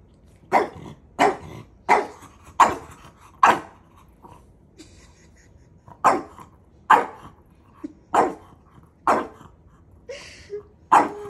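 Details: Maui, a dog pestering his big brother, keeps up a string of about thirteen sharp barks, first in a quick run, then after a short pause in steadier bursts roughly one second apart.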